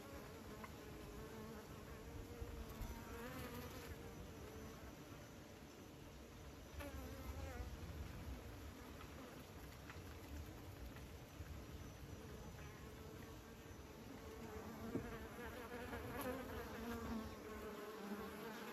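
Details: Many bees at an apiary hum together in a thick, even drone, individual fliers rising and fading as they pass, with a low rumble underneath throughout.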